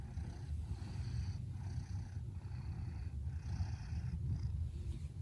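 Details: Sleepy indoor Maine Coon named Fred, a red smoke male aged 19 months, purrs faintly while napping in his bed during an afternoon kept inside by storms. A continuous deep rumble rises and falls with each breath, about once per second.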